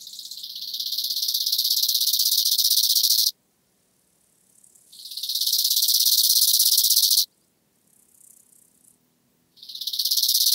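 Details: Bow-winged grasshopper, Chorthippus biguttulus, at Hanfeld, Germany, on 19 September 2021: loud buzzing rasping phrases, each swelling in volume over about three seconds and then stopping abruptly, with a quiet gap before the next phrase.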